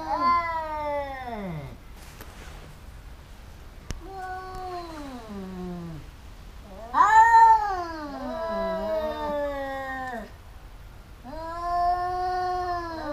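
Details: Domestic cats in a fight, pair that keep biting each other: several long falling and wavering yowls separated by short pauses and a click, the loudest howl rising sharply before sliding down.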